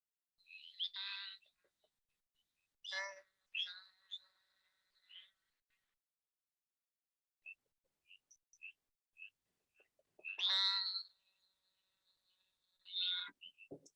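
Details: A Great Plains narrow-mouthed toad (Gastrophryne olivacea), as heard calling from roadside ditches on the prairie in spring, gives high, nasal buzzes, like an annoyed wasp or a mosquito.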